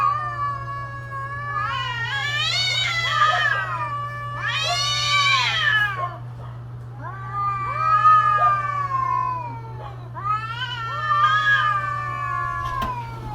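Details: Mating-season cat calls, a series of wailing, rising then falling yowls with strong harmonics, four long cries spaced a few seconds apart over a constant low electrical hum.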